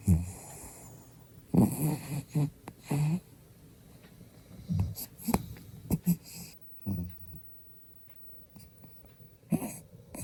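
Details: Sleeping pet dog named Byeol, a late-morning sleeper, snoring loudly while smiling in its sleep indoors: rough, wheezy snorts and rattling breaths in irregular bursts, several close together then quiet gaps.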